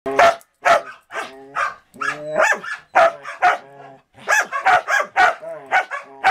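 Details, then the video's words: Samoyed and Border Collie playing together, recorded in 2014: a rapid series of sharp, harmonic barks with some drawn-out yelping howls in between, loud and closely spaced. "Marco Polo (Samoyed) and Cisco (Border Collie) Playing in 2014"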